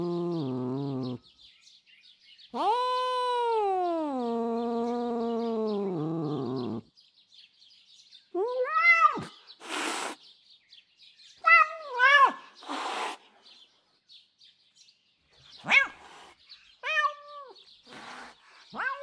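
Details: Jasper, a female domestic cat called an absolute lunatic full of enraged, crazy sounds: a deep wavering growl-yowl, then a long drawn yowl that sags in pitch, followed by short sharp meows, harsh bursts and falling cries.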